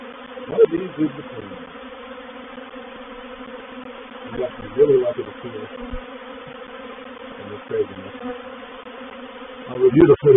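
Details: Honey bees of a reproductive swarm entering a swarm trap at Painted Peacock Manor on 04/07/21; a constant droning hum with louder buzzing surges as individual bees pass close, roughly every three seconds, ending in a cluster of loud buzzes.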